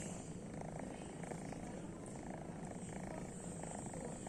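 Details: Sleeping pet cat giving a quiet continuous snore, a low buzzy rumble with dense even pulses and no pauses, over a faint background hiss.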